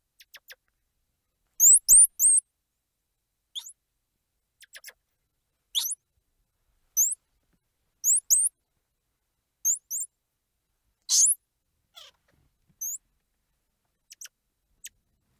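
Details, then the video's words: Squirrel monkey chirps and squeals: scattered very high, thin, upswept chirps, singly or in pairs, plus a few louder harsh squeals, spread irregularly with quiet gaps. "Squirrel Monkey Sound | Squirrel Monkey Squeals | Squirrel Monkey Noises | Squirrel Monkey Chirps"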